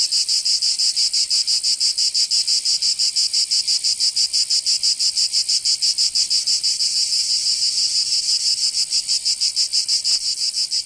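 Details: Summer cicada chorus in Provence, southern France: a shrill, continuous rasping buzz beating in even pulses roughly three per second, swelling slightly near the end; nothing else is heard.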